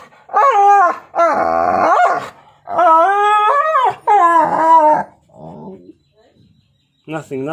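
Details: Husky and pitbull play-fighting with nibbles, one dog named Rocky: a run of strained, wavering howl-like yowls with rich harmonics, four main bursts of about a second each separated by short pauses, then a softer whine and a brief final yelp.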